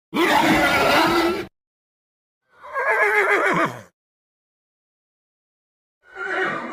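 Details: Horse whinnying in three separate bursts, the first a rich harmonic neigh about a second and a half long, the second quavering and slightly shorter, the third cut off at the end, with silence between them.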